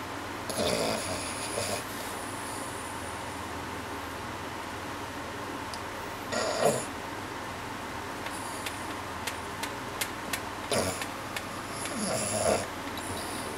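A French Bulldog snores in its sleep, with rough, breathy snorts every few seconds.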